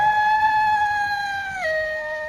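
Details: Wolf howl from a children's compilation of wild animal sounds: one long, clear, tonal note held steady, then dropping to a lower pitch near the end and sustaining, with no other sounds.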